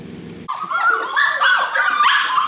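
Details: Small puppy giving high, wavering whines and yips that rise and fall in quick succession, loud and close, after a short burst of low background noise at the start.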